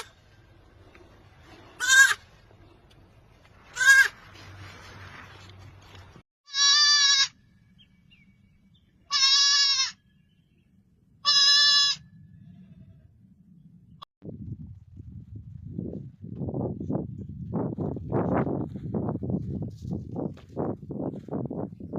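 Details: Goat kids at play on a farm while the herd grazes, giving five short, quavering high bleats spaced a couple of seconds apart, then low crunching and rustling noise from grazing or movement.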